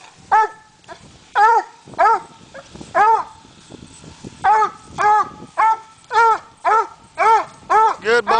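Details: A coonhound named Slick barking up a tree while coon hunting, bawling chopped barks repeated roughly twice a second with uneven spacing, a man's voice urging him on between barks.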